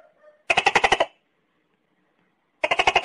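Tokay gecko giving two bursts of rapid, harsh, clucking pulses, about eight per burst, separated by two seconds of silence.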